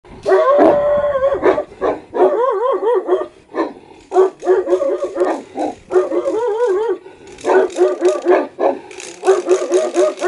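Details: Aggressive Saint Bernard and Caucasian dogs giving wavering, howling yelps and yips in rapid overlapping bursts, pitch sliding up and down, with short pauses between volleys.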